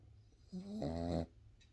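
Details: Boston Terrier puppy snoring indoors: a single loud, rough snore lasting under a second, low and droning with stacked buzzy tones, rising in strength then cutting off abruptly, over a quiet room hum.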